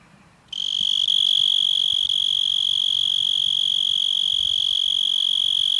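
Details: Cicada in a yard starting its song after a brief quiet moment, then holding a shrill, steady, high electric buzz with fast pulsing for the rest of the recording.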